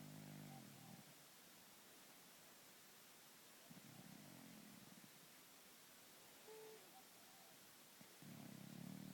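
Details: Louis the cat asleep, snoring and purring: deep rumbling breaths at the start, in the middle and again at the end, separated by quiet pauses, with one faint higher tone near the end.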